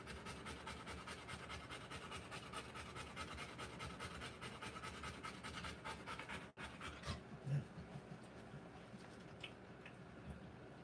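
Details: Rottweiler mother in labour, delivering puppies, panting in quick breathy pulses around two per second for about six seconds, then the panting fades and a few soft knocks and rustles follow.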